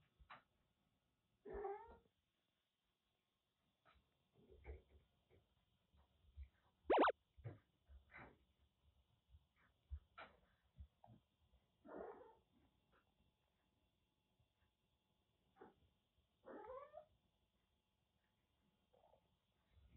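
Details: Rescued kittens at play indoors, a grey Russian Blue-like stray about four to five months old and a timid older cat, in Kagoshima; several short meows and squeaks scattered among soft thumps of play.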